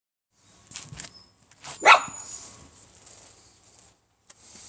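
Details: Shiba Inu puppy recorded on December 5, giving one short, sharp yip near the middle, with faint rustling and a steady high hiss before and after.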